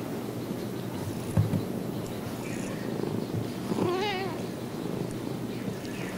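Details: Kua, a female calico cat adopted as a kitten from a pet store in Kalihi, purrs in a steady low rumble throughout, with a short wavering meow-like call just before the fourth second and a soft knock near the start.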